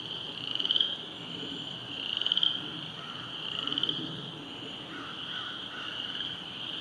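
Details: Frogs calling along the rain-flooded Silver Creek trail, heard while stopped on a bike ride: a high, continuous trill punctuated by about four louder rattling bursts, over quiet low outdoor noise.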